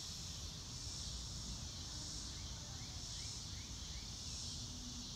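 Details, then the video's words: Crickets in a natural setting on a blue-sky day, recorded without music: a high, shimmering chorus rising and falling in slow swells, a short series of small upward chirps midway, and a low rumbling background. "Relaxing Clouds in a Blue sky and Nature Sounds - Real Time - No Music - Meditation - Crickets"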